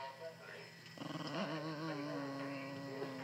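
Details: A tired female Shiba Inu, angry at being squeezed and bothered, gives a low, rumbling growl that starts in quick pulses, then holds steady.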